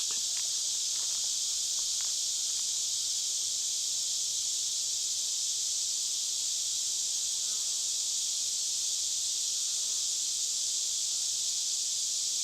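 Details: Wild cicadas deep in a forest, a few miles' hike in: a dense, steady high-pitched droning hiss that never breaks, with a few faint short ticks early on.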